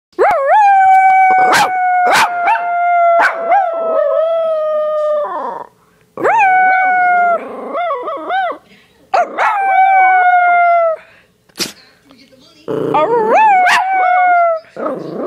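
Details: Schipperke named by owner, howling after the owner howled to prompt him, gives drawn-out howls holding steady pitch then bending and wavering, broken every few seconds by sharp yips and barks.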